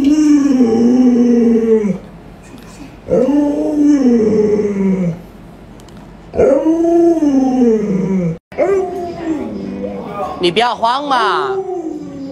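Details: Pet Alaskan Malamute Luoluo howls at an owner who won't get out of bed though the sun is high: three arching, drawn-out howls, each about two seconds long, separated by short pauses, followed by a rougher, broken vocal burst.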